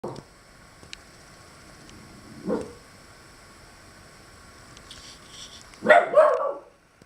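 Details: Pet guard dog sounding off at squirrels to drive them from its tree: a short rough burst at the start, another near the middle, then a longer harsh outburst toward the end over a steady background hum.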